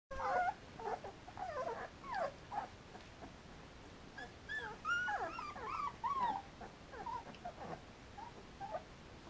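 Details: Three-week-old Samoyed puppies with their mother, Enola, at a kennel in Germany: many short whines and squeaks rising and falling, overlapping in bursts throughout, with soft chirping yelps between.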